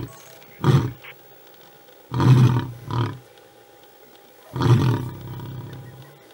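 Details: Big male lion giving a few deep, grunting roar bursts: a short one, then a longer one followed quickly by a shorter one, and after a pause another long, heavy roar, with quiet gaps between.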